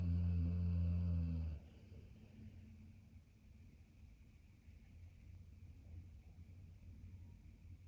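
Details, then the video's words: Maximus, a pit bull German shepherd mix dog, asleep after his early morning walk: one loud, rough, low droning snore for about a second and a half, then only faint low breathing. "Maximus snoring like a busted chainsaw"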